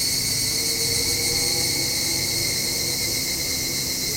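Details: Brief stretch of evening cicada calling at dusk by a home balcony: steady, piercing high-pitched drone, with a motorbike engine's humming, shifting tones clearly audible underneath.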